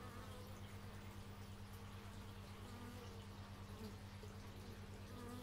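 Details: Bees in nature recorded with an x/y stereo microphone: a constant low buzzing hum, with short higher wavering buzzes drifting past near the middle and end.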